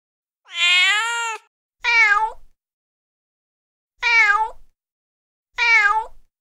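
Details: Feral mother cat calling her kittens: four harmonic-rich meows, the first long and arched, the rest shorter with falling endings, spaced by brief silences.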